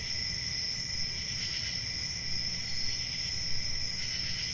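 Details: Crickets on a summer night: a steady, unbroken high-pitched trill with a second lower ringing tone, both swelling gently every second or so over a low rumbling background hum.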